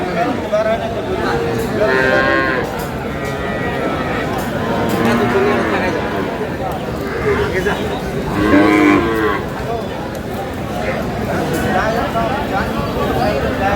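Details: Cows with calves, said to be Sahiwal, for sale at Aftabganj market in Dinajpur, 11 July 2026. Arching, nasal lowing calls come now and then, the clearest near the start and later in the clip, over busy market chatter and crowd noise.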